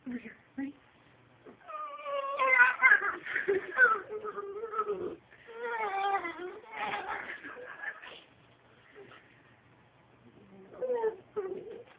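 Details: A dachshund "talking" indoors. It gives a run of wavering, whiny yowls that rise and fall in pitch. The bursts come in rapid, uneven bouts, with short quiet gaps and a faint low hum between them.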